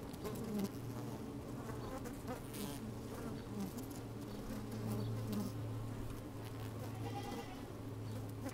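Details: Honey bees busy within an open hive, microphone slipped down inside, on a fine sunny day with a little wind; dense low buzzing drone whose tone shifts slightly, with occasional crackles and scraping as bees crawl past.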